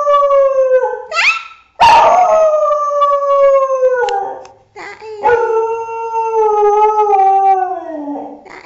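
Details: Howling dog featured among funny clips: several long harmonic howls, each gently falling in pitch, separated by short yips and a sharp noisy burst.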